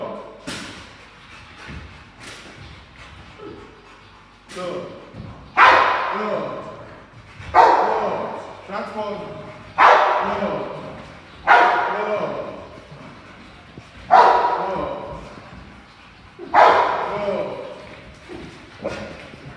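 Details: Ten-month-old Rottweiler in 360 protection foundation training, barking hard in a steady series of sharp, loud bursts about every two seconds, with a person's voice heard in the gaps.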